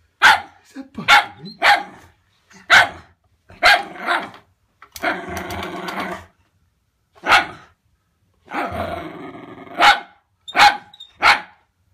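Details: Wire Fox Terrier named Winnie barks at a pull-along toy dog called Bertie; quick clusters of sharp barks mixed with longer growling, rasping bursts, irregularly spaced across the recording, with brief human speech urging her on.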